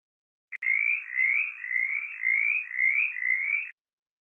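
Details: A mountain chorus frog, common across West Virginia and calling in springtime from roadside ditches, gives a fast series of raspy, rising trills, each about half a second long.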